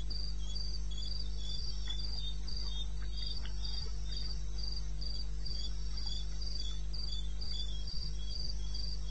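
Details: Cricket sound from the wilderness of eastern Botswana at night, 21 May, 2:30 am: bright, high chirps pulse steadily about four per second, a lower cricket adds a softer stuttering layer, over a persistent deep hum.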